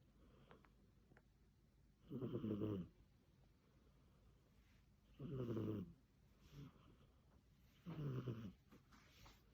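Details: Snoring cat indoors: three rough, low, rasping breaths about three seconds apart, each lasting under a second, with a quiet room between them.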